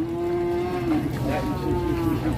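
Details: A white Simmental bull at the crowded Grabag market in Indonesia gives a long, level moo that wavers and trails off, heard over a steady background of market noise.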